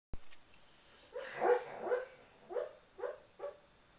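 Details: Boxer dog talking in its sleep during a bad dream: a string of soft, muffled woofs and whimpering yips spaced about half a second apart, with a woman's voice nearby.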